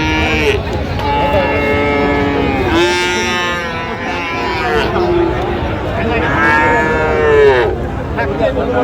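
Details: Cattle at a busy market in Raniganj, Dinajpur, where Friesian and crossbred bulls and calves are traded, 25 January 2026. Two loud, rich moos: one short and falling, then a longer bellow that swells before dropping away. Haggling voices fill the background.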